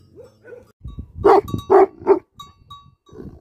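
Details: Angry barking from Tibetan Mastiff dogs (Bhote Kukur): three heavy barks in quick succession after a couple of faint whiny notes, with softer rumbling sounds around them.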